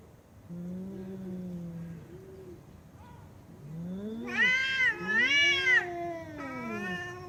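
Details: Domestic cat making funny sounds: low drawn-out tones, then rising and falling meows that swell into a loud, strained wail with two arched peaks before trailing off.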